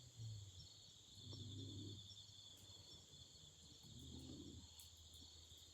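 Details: By a campfire in autumn, insects keep up a continuous shrill trilling high above, while two low, muffled surges rise and fall beneath them, with a few sharp ticks.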